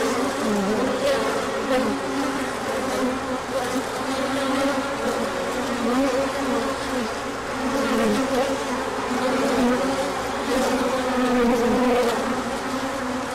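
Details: Swarm-like hum of many bees flying out on a large orientation flight when the sun appeared after cooler days; a thick, unbroken buzzing drone with passing wing tones rising and falling as bees pass close.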